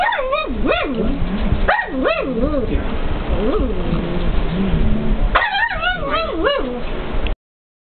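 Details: Pet pug indoors barking at the television: short, high yipping barks with rising and falling pitch, a quick burst at the start, scattered single yips in the middle, and a final flurry, over continuous television sound.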